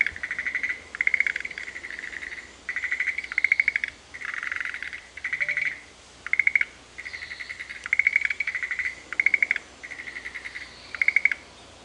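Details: Dense frog chorus in Sanzen-in temple's Shuheki-en Japanese garden, Ohara, Kyoto, Japan: loud, high pulsed trills and sustained tones follow one another in quick bursts, callers answering back and forth almost without pause.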